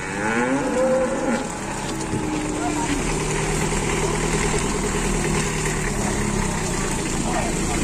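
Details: Cattle in an Indonesian livestock pen, a very large animal described as unruly; low, drawn-out lowing with a brief higher harmonic call near the start, over steady crowd noise and men talking.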